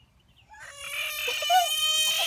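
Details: A big American bullfrog held in the hand screams: a loud, harsh, wavering cry that rises out of silence and then sustains, rich in overtones, almost like a bleat.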